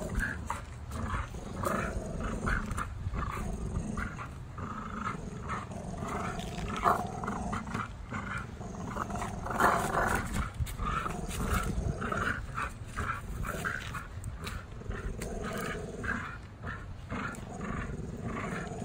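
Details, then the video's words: Tri-color American Bullies Gusto and Big Girl in an afternoon tug-of-war game, playing rather than fighting; steady low, rough growling continues almost without pause, with thumps and rustling. "Ultimate American Bully Tug O War Showdown"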